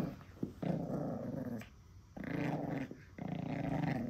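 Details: Pekingese puppy fighting over its monkey doll indoors, growling possessively; long throaty rumbling growls of over a second each in three bursts separated by short pauses, with a faint high steady whine in the background.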